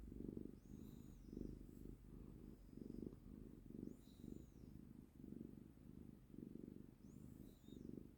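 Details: A cuddled house cat gives a continuous low, throbbing purr in even pulses, while faint high chirping sounds float in the background a few times.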